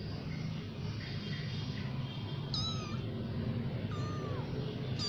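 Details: Cats from a new family giving two clear, high-pitched meows, the second one longer and sliding downward, over a constant low background rumble.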